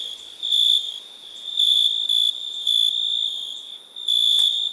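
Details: High, thin cricket trill running without pause, swelling into louder chirping bursts at uneven intervals near one per second; nothing else audible.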